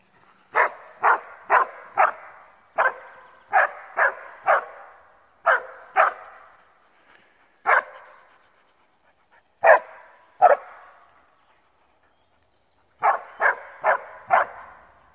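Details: Alpine Dachsbracke barking at wild boar at its first boar encounter, after about thirty minutes of barking: loud single barks in quick bursts of three to five, separated by pauses of one to three seconds, echoing slightly.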